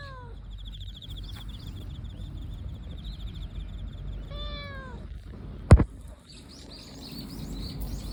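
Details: Relaxed calico cat, likely a park stray, giving a short soft meow that rises then falls, with a faint brief call near the start. A thin repeated high chirping runs behind it, and there is one sharp knock.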